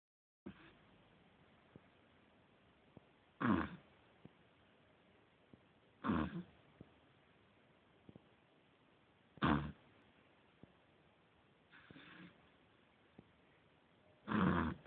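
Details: Sleeping nine-week-old Beagle puppy snoring loudly: short, rough, broadband snorts recurring roughly every three seconds, with quiet breathing and faint clicks between them.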